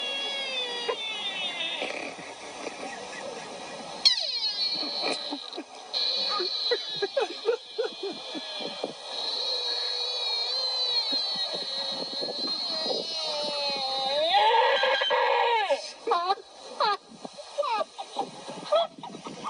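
A deer gives wavering, nasal bleats and squeals, rising and falling in pitch.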